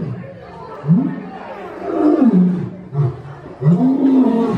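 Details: Lion roaring: deep, groaning calls that swoop up and fall back, in three main loud bursts separated by brief quieter gaps.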